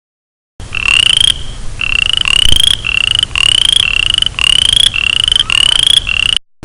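A male boreal chorus frog gives short, rising, pulsed trills, repeated one after another, to attract a female.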